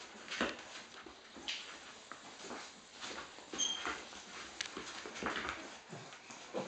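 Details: Golden Retriever female Joy nursing her eight four-week-old puppies, recorded 20 July 2013 indoors; brief high, thin squeaks and soft whimpers rise over scattered clicks, shuffling and suckling noises, with one sharp whistled squeak near the middle.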